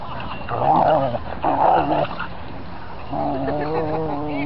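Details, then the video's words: Dogs play fighting, circling one of their pack; two bursts of throaty growling with whiny tones, followed by a steady low droning growl to the end, with a woman talking over it. "Play Fight"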